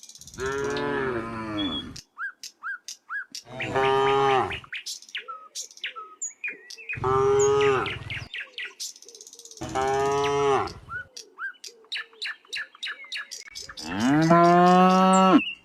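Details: Cows from a herd of dozens of tame cattle walking along a quiet country road: five long, rich moos, spaced a few seconds apart, some rising at the end, with steady bird chirping between the calls.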